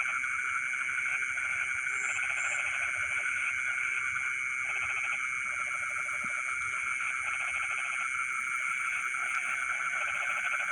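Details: Frogs in a rice field at night give repeated rattling pulse trains in several bursts. A continuous shrill insect drone fills the background, with a couple of brief high chirps.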